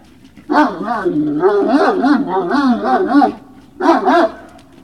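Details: Great Danes at Puppy Hill, recorded on 19 February 2019 in the evening: wavering, high whines and yelps rise and fall in a continuous stretch, then a short burst of whining follows after a pause.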